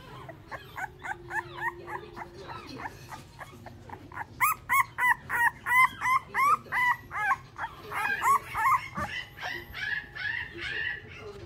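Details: Male Bulldog puppy giving a long run of high, bent yelping whines, evenly repeated about three per second and growing louder midway, then trailing into thinner squeaky cries over a low steady indoor hum.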